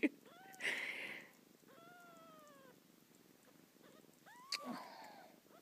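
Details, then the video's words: A kitten cries into its mother cat's ear with drawn-out, gently falling meows and a rising-then-falling call, over a continuous low purr, with bursts of rustling handling noise. "Meowing in her mummy's ear"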